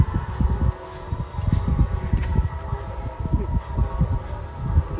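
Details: Outdoors on open ground, heavy low rumbling and thudding dominate, with faint steady tones behind them and no animal voice.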